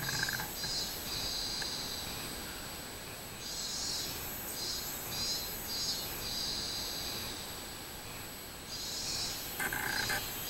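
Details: Robust cicada song from 24 July 2016, quieter and more distant, with rhythmic buzzy pulses building through the middle, fading, then a brief louder burst at the close.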